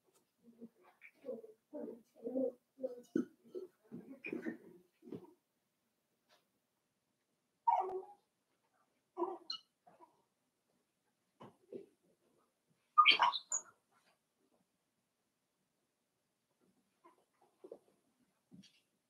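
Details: Cavalier King Charles Spaniel puppies, five weeks old, in their indoor pen with mother Daisy, make a quick run of soft squeaks and grunts, then scattered single yips spaced several seconds apart, one sharper and higher.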